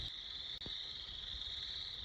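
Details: A dense chorus of Boreal Chorus Frogs in summer at Sax-Zim Bog, beside County Road 133: many high trills merge into a steady, unbroken shrill hum, with a faint click partway through.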